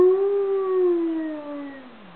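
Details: A pet dog howling at midday, set off by sirens and a passing train; one long, smooth, mournful howl that holds a steady tone, then slowly slides downward and fades over about two seconds, with no other clear sounds.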